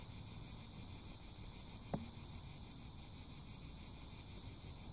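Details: An unbroken, high-pitched cicada buzz forms a dense wall of sound, with low wind-like rumble beneath and a single sharp click near the middle.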